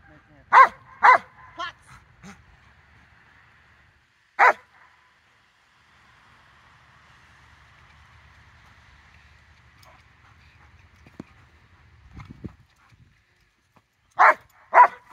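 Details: Rottweiler barking, recorded 4 September 2022: two sharp barks in the first second, a single bark near four seconds, then a long quiet stretch with faint hum and murmur before two more barks close together at the end.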